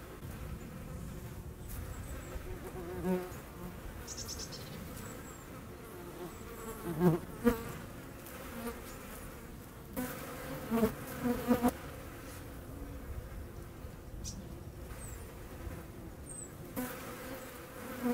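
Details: Hornet hunting wasps outdoors near the Eifel on 17 August 2020: a low, droning wingbeat buzz that swells and fades as the insects move, over a constant rushing background noise with occasional sharp knocks.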